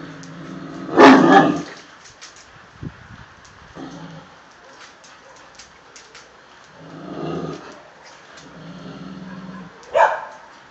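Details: Deep bark from a Tosa Inu guardian dog, then a long quiet stretch with faint shuffling, a low muffled growl-like rumble midway, and another sharp bark at the end.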